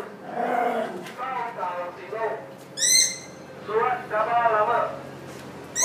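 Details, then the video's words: Schnauzer giving drawn-out, yodelling whine-like cries that rise and fall in pitch, with a sharp, high squeal near the middle and another starting at the very end, over a quiet indoor background. "Schnauzers Are Noisy!"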